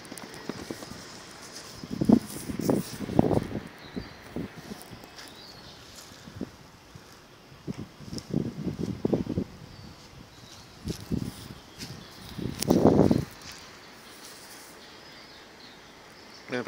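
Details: Enzo the Akita makes funny sounds: short low grumbling bursts in three clusters, a pair of groans, then a run of rough mutters, and finally one longer drawn-out moan, with quiet pauses between.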